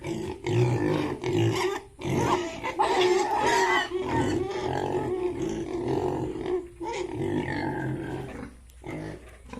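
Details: Yorkshire and Hampshire pigs kept on a farm in Bongaigaon, Assam, producing a steady stream of rough, resonant grunting and moaning, with brief pauses around the second and seventh seconds.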